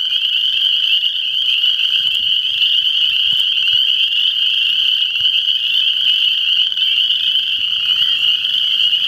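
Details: Many frogs calling at once, forming a continuous shrill wall of trilling notes that holds an even pitch and loudness from start to finish, with no other clear sounds.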